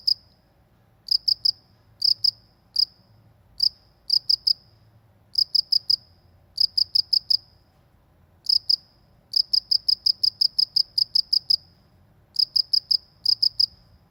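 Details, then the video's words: Countryside cricket calling steadily, high chirps grouped in runs of two to eight, with a long unbroken run near the end and brief gaps between groups; a quiet low background hum underneath. "suara jangkrik di pedesaan"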